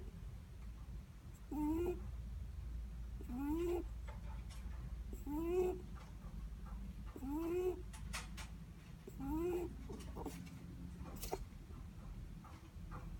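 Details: Sleeping Netherland Dwarf rabbit breathing in its sleep, each breath giving a short squeaky, rising nasal whistle. The whistles repeat roughly every two seconds over a low room hum.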